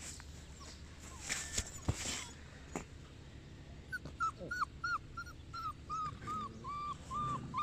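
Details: Boerboel named Enzo, from Mastiff Hub Egypt, giving a run of short, high, whistle-like whines from about the fourth second, repeated in quick, uneven succession after several faint knocks and rustles.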